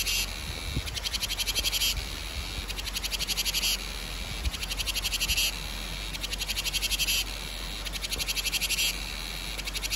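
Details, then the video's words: Cicadas calling in summer, given in Vietnamese as the song of the ve sầu: a high, pulsed, rattling buzz in bursts of about two seconds broken by brief pauses, with a faint low rumble beneath. "Tiếng ve gọi hè | Tiếng ve sầu gọi hè"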